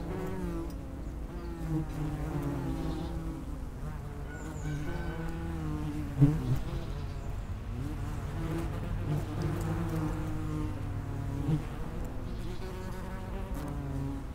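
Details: Buzzing of common wasps around an underground nest entrance, several insects at once, continuous low drone with wavering pitch as individuals approach and leave, a sharp click near the middle.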